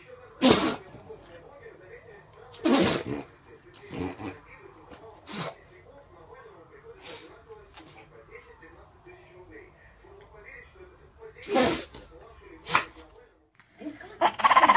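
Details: Pet dog sneezing on cue during trick practice with its owner: sharp, broad, explosive bursts come about eight times across fifteen seconds, separated by quieter stretches, while a person speaks commands and praise in the background.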